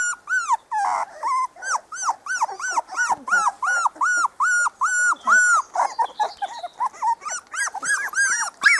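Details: A four-week-old litter of Spanish Water Dog puppies outdoors in the garden for the first time, whining steadily in rising-and-falling arched cries, about two to three each second, with overlapping voices from several pups.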